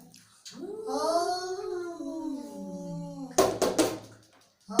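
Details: Angry cat letting out a single long, moaning yowl that rises and slowly falls, followed by sharp clattering knocks indoors.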